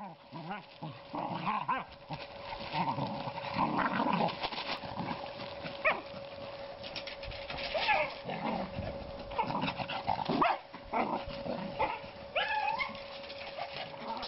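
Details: Nine-week-old Cocker Spaniel puppies from litter G playing and cuddling, with wavering low growls and squeaky whines overlapping through the scuffle, a steady electrical hum beneath and some human voices.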